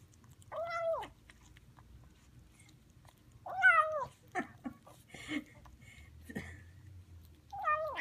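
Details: A two-week-old Highland Lynx kitten eating a chicken dinner gives short, arching meows mixed with purring, with soft clicking and smacking eating sounds between them.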